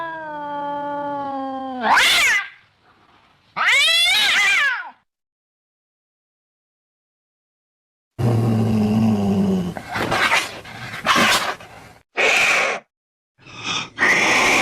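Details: Cat calls meant to drive off rats: a falling tonal cry, then a sharp yowl, a long pause, and a run of harsh, noisy hissing and spitting bursts of varying length.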